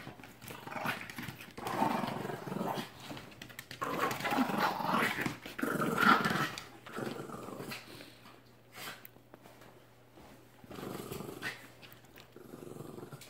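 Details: Brick, a Mastiff, and Merry, a Terrier, play-fighting indoors. A continuous rough, rumbling growl rises and falls in uneven surges, loudest in the middle, with scuffling between bouts.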